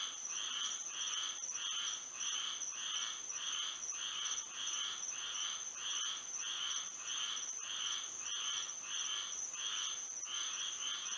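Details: Frogs singing at night under moonlight in Florida: pulsed, buzzy calls in a steady run of about fifteen bursts, layered over a constant high insect drone.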